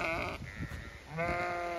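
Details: Chatty Zwartbles ewes in a County Kilkenny field, Ireland, calling out expecting food: two quavering, harmonic bleats separated by a short pause, with faint rustling and handling noise underneath.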